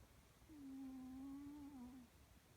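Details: Rezzie, a sleeping pet cat, snoring indoors in a quiet room: one steady low humming tone that wavers slightly and lasts about a second and a half, then fades.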